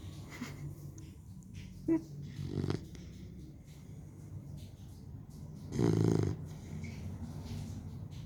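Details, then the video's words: Sleeping Labrador Retriever puppy, three months old, giving soft, low breathing with a short snort near two seconds and one louder rasping snore near six seconds; faint background noise throughout. "3 month old lab puppy snoring"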